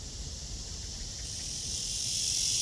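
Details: Cicada on a tree under a blue sky, recorded during a walk on 23 August 2020 at 9:27 in the morning; a steady high hiss-like buzz swells gradually louder toward the end, over faint low rumble.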